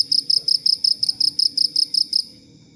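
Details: Cricket giving a short run of about eleven evenly spaced high, pulsed chirps that stop abruptly, used as tutor sound for training songbirds such as white-rumped shama and leafbirds; faint low background noise.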